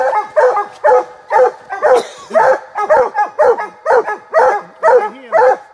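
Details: Walker hounds treeing during a hunt, several dogs barking at a tree: steady run of rich, ringing barks about every half second, each dropping in pitch, overlapping voices with a faint whine between.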